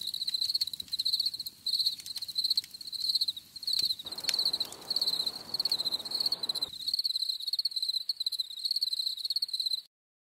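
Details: Chirping crickets for stress-free relaxation: continuous high, rapidly pulsed trills in bursts over about ten seconds, a soft broadband hiss joining midway, then ending abruptly in silence.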